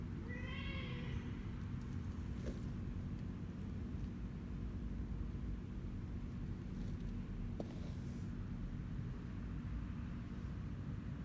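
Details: Kittens 25 days old, offspring of a former stray mother cat in Cambodia, relaxing in a box on a warm afternoon on 25 January 2020, yawning and stretching; one short rising-falling mew near the start over a steady low hum.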